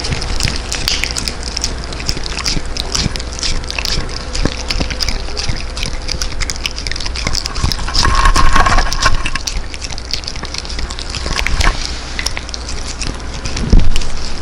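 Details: Tangja, a Welsh Corgi from Daegu, crunching freeze-dried New Zealand kibble near a Chinese-made mic: rapid irregular crackling bites, around three a second, with a brief sloshing swell midway.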